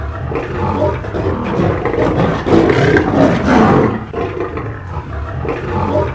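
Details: African lions fighting on the savanna, deep rough roaring and growling that swells to a peak midway, then fades and returns in ragged bursts, with faint music underneath.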